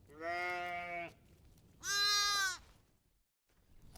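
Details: Lamb and sheep bleats: two separate drawn-out bleats, the first lower and about a second long, the second brighter and higher, with faint background hiss between them.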